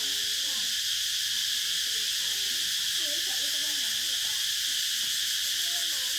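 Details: Continuous shrill cicada drone, even and unbroken throughout, while soft, low twittering calls flicker faintly in the background.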